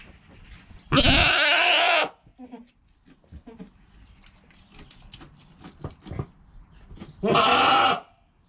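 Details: Newborn goat kid within its first hour of life, mother calm nearby: two loud, harsh, wavering bleats about six seconds apart, each roughly a second long, with soft rustling and small knocks between them.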